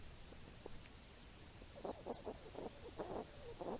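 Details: Wild hedgehogs foraging for apples in the rain: quiet at first, then a run of rough, clustered grunting snuffles in quick bursts through the second half, with faint high thin sounds early on.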